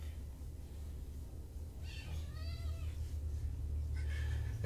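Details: Kitten, one of Nigel and Hazel, rescue kittens brought to Purrfect Pals from Tacoma, explores an indoor room after leaving its carrier. One clear, bending meow falls then rises, followed by a shorter second meow against a low steady hum.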